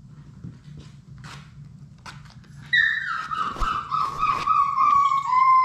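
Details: Labrador Retriever puppies, a litter of six, playing in their puppy room: faint scuffles and thumps, then a loud drawn-out whine that slides slowly downward over about three seconds, over a constant low hum.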